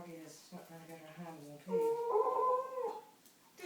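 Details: Lily, a pet dog, howls indoors wanting a chew after her morning walk: a wavering, whining howl rising into a louder sustained cry, with people talking in the room.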